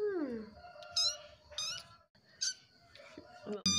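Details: Pet kitten whining softly while begging for food indoors; a descending plaintive meow followed by several high, short squeaky mews and a sudden sharp sound at the end.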